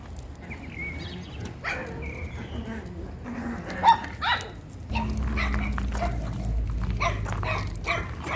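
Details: Female Chihuahua named Gioconda in Simferopol, Crimea, giving a few short, sharp barks near the two- and four-second marks, with scattered quieter yelps, human speech and steady low background hum.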